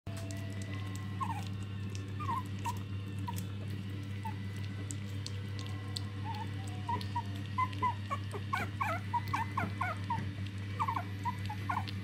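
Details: Prague Ratter puppies of a litter at their first dinner; short high squeaky whimpers and yips scattered throughout, growing denser toward the end, over a steady low hum.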